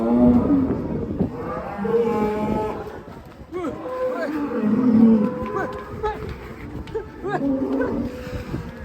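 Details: Agitated, raging cow breaking out of its pen gives several drawn-out, harmonic moos, some level and some dipping in pitch, while people shout and talk excitedly nearby and there are knocking sounds.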